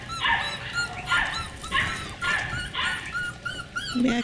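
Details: Beagle puppies yapping and yelping in short high-pitched barks, several overlapping voices, with another litter barking in the background inside a window and a brief human voice near the end.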